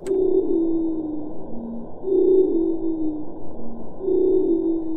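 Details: Madagascar pygmy blue whale: song from a newly found pygmy blue whale population in the Indian Ocean (Chagos Islands to Sri Lanka and Western Australia), picked up by nuclear-test-monitoring hydrophones. Smooth tonal moans, each dropping to a lower hum, repeat about every two seconds.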